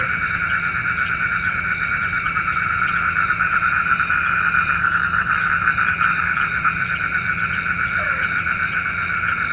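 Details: Nighttime frog chorus, a continuous shimmering wall of rapid pulsed trills at several pitch levels, steady in loudness, with one brief sliding croak near the end.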